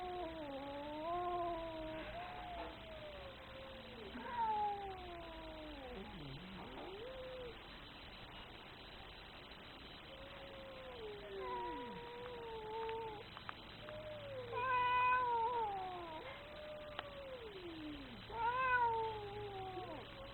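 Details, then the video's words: Very angry cat caterwauling in a string of wavering, moaning yowls, some sliding deep downward into a growl before rising again, roughly every few seconds over twenty seconds. "Very angry cat."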